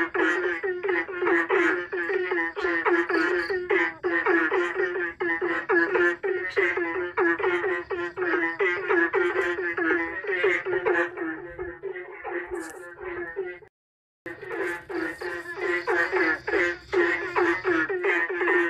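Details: Frogs calling back and forth to one another, their exchange likened to a song's rhythm; a dense run of rapid, clipped croaks stacked in overlapping rows, with a brief silent break near the fourteenth second before the chorus resumes.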